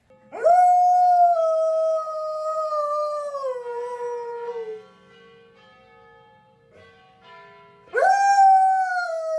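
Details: Pet dog howling after a Thanksgiving walk: a long clear howl that starts high and slides gradually downward over four seconds, quiet faint humming, then a new rising howl begins near the end.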